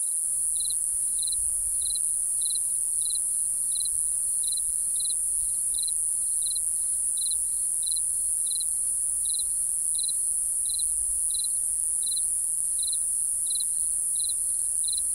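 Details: Night-time cricket chirping, a long, even run of some twenty-two brief, high chirps spaced roughly every 0.65 seconds, set against an unbroken piercing high whine and faint low rumble.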